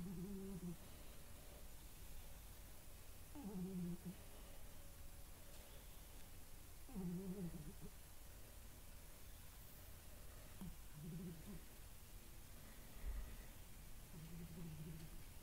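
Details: Appa, a female pet cat, snoring while asleep indoors: low, buzzy, rasping snores repeating about every three and a half seconds, five breaths in all, over a steady room hum.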